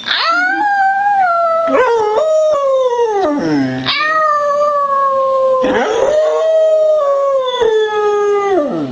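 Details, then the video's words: Beagle howling on cue, the female Layla, spring 2009, prompted to sing before going outside: several long loud drawn-out howls, each steady then sliding downward, one dropping into a low groan, separated by short yipping breaks. "Beagle Howling/Singing Loudly"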